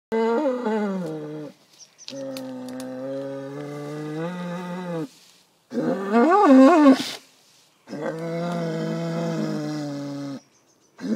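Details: A bull vocalising in long, drawn-out harmonic bellows of about three seconds each, some steady, one wavering up and down like a tune, separated by short silences.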